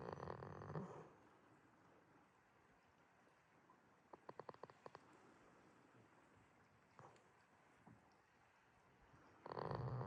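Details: Jitta, a goat asleep at Yoshigake farm in Himi, Toyama, Japan, on 11 March 2026, snores in a quiet pasture: a rough, breathy snore at the start and another at the end, with a quick burst of faint clicks between them.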